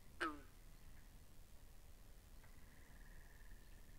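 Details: Pond frogs in binaural sound: a single loud, abrupt croak sweeping downward opens, then a long buzzy pulsed trill starts up and holds steady at one pitch.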